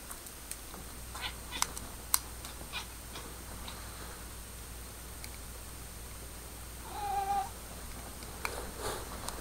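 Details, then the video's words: Pepper, a pet cat indoors, calling at her new laser pointer beam: a single short harmonic meow late in the recording, over steady room hiss with scattered faint clicks and taps. "Cat Talking Crazy"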